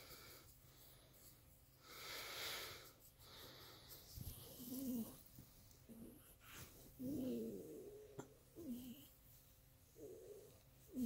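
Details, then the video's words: Miniature Pinscher making pleasure noises: short nasal whines and grumbling moans, wavering and breathy, in bursts separated by snorting breaths in a small room. "Minpin Pleasure noises"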